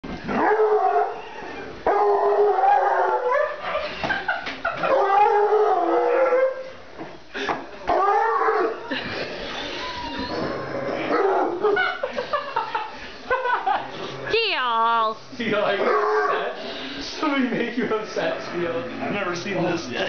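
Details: Bluetick Coonhound, a male pet dog, riled up indoors by having a blanket put over his head, which he hates. He gives a rising-and-falling harmonic howl near the end, amid loud talking and laughter from several people.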